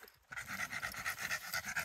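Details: American Staffordshire Terrier during protection training with a decoy, rapid rhythmic panting at about six breaths per second, a steady rasping pulse.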